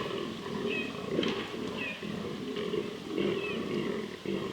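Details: Fallow deer bucks during the 2023 rut in southern Slovakia, where the species is non-native, groaning in rough, pulsed bursts about twice a second, several animals overlapping into a dense, hoarse chorus.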